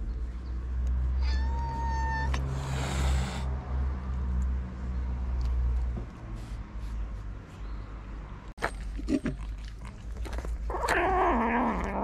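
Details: Hungry street cat in Morocco, one of many strays fed each day: a clear, even meow early on, then a loud burst of noise, a sharp knock, and later a lower, wavering, drawn-out cry over constant low rumble.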